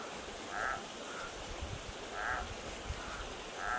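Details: Night frog song recorded close up at a creek in a remote desert canyon: clipped, nasal calls about every second and a half, each loud note trailed by a fainter echoing one, with soft water hiss behind.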